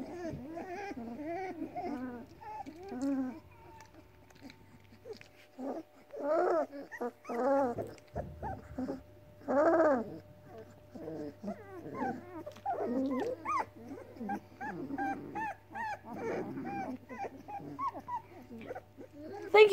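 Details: A house litter of seven Weimaraner puppies, four girls and three boys, whimper and growl from hunger as their mother declines to nurse. Overlapping wavering whines and short yelps continue throughout, over a constant low electrical hum.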